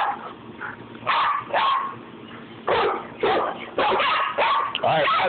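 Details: Rat terrier playing with another dog, giving sharp yips and short barks in quick bursts roughly every half second, with a person speaking and cheering in the background.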